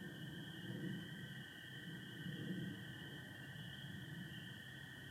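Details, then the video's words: Night chorus of spring peepers with American toads in Michigan, 24 April 2025, partly overcast sky: unbroken high-pitched peeping blends into a constant band, a sustained lower toad trill runs alongside, and soft low murmurs pulse underneath. "Sounds of spring peepers and american toads"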